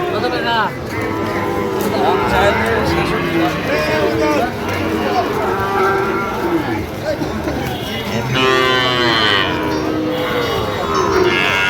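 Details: Sahiwal bull calves at a busy livestock market, 22 September 2025, where a Dhaka farmer is buying: several overlapping drawn-out moos, some bending up and down in pitch, mixed with steady crowd chatter and men talking nearby.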